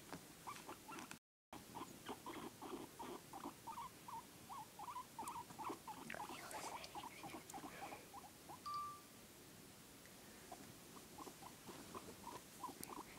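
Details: Guinea pig producing long sequences of short chirping squeaks, several per second, fairly steady mid pitch with some louder bursts midway, one brief sharp tone, over low indoor noise.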